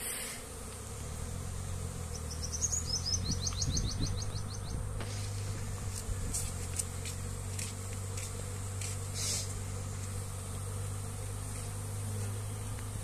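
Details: Continuous low, even drone of honey bees around a hand-moved comb while they gather lychee-flower nectar, overlaid early on by a rapid series of high, thin bird chirps, with scattered short clicks later.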